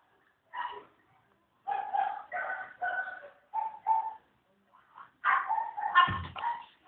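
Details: Several Chow Chow puppies in a kennel, recorded secretly, give a run of short tonal whimpers and yips, about seven bursts, then louder overlapping high cries near the end.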